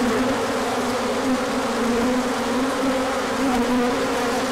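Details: Honeybees swarming out on a large orientation flight as the sun appears after colder weather, 24 March 2024; a dense, steady buzzing hum of many wings, with a low drone band wavering slightly throughout.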